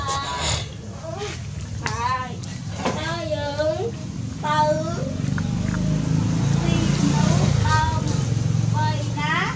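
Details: Several hungry puppies feeding on their mother's milk give squeaky, bending whines, each a short rising-then-falling wail, in uneven bursts over a loud low background hum.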